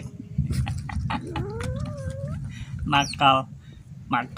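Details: Molla, a young pet baby otter, standing and screaming while about to be fed fish: a rising squeal, then loud, harsh harmonic screams near the end over a steady low hum and human voices.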